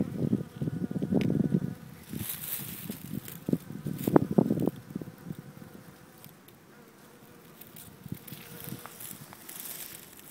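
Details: Honey bees foraging among crocuses on Cape Cod on 28 February 2012, an unusually early spring: low droning buzzes that swell and fade as insects pass close, loud bursts in the first five seconds, then a softer hum.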